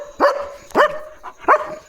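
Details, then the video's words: Pet German Shepherd guarding its area at night, giving three sharp barks about every three-quarters of a second, each with a quick rising onset, over a faint constant high-pitched hum. "German Shepherd Barking & Protecting at Night"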